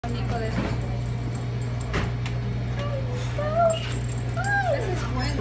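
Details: A male Alaskan Klee Kai puppy in New York City gives a string of wavering, rising-and-falling howls over a low electrical hum, jealous that his beagle friend has his own stroller.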